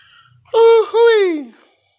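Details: Domestic cat said to be sick with flu and a cough, giving one loud two-part meow: a steady mid-pitched tone, a brief break, then a second note that bends downward and fades, with rich harmonics; faint background noise before it.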